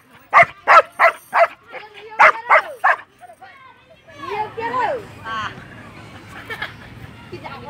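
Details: A Belgian Malinois from Viet Nam gives a burst of about eight sharp, loud barks over three seconds, followed by higher whining yelps and whimpers, with a person's voice and faint background noise.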